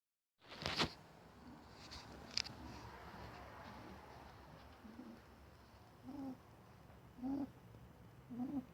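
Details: Dougal, a pet rabbit, snores while asleep, healthy and not in pain despite the alarming sound: a few sharp clicks and thumps at first, then short, low, nasal snorts repeating about once a second.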